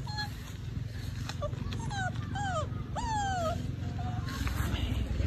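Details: Two rescued stray puppies at a small cottage whimpering: several thin, high whines sliding down or rising then falling, clustered in the middle seconds, over steady background music and low rumbling noise.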